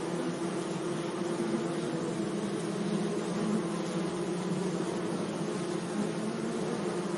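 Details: Bees humming among flowers in a sunny meadow: a steady, low droning buzz with a dense, even hiss of background noise and no other clear sounds.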